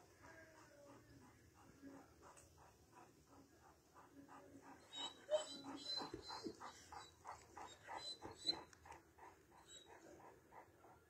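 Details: Large Alabai (Central Asian Shepherd) dogs, more than one animal: a fast run of short harmonic barks at about three per second. The barks grow louder and sharper after the midpoint. Faint background noise throughout.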